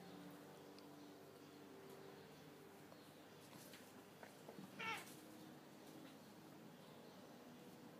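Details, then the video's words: Male cat Tous and female cat Etna quarrelling because he pesters her: faint low droning tones, then one short, sharp, harmonic cry near the middle, against quiet room noise. "Pelea de gato y gata (gato pesado) / Cat's fight (annoying cat) / Catfight (chat fatigant)"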